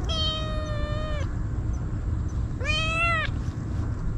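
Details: Feral kitten devouring Churu and Sheba keeps crying out, two clear meows, the first long and level, the second rising then falling, separated by a short pause over low background rumble.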